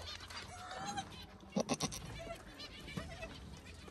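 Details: Baby goats drinking milk and playing on a goat farm. Short, wavering bleats rise early on, then sharp knocks and clatter around the middle, over a steady background hum.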